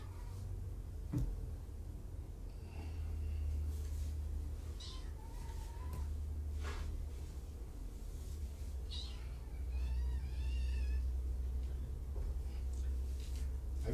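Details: Kittens from two surrendered litters at Purrfect Pals, recorded on an afternoon of 3 July 2017 during a visit from the cat Kougra. Faint, wavering meows at mid-pitch come in two short bouts over a steady low hum.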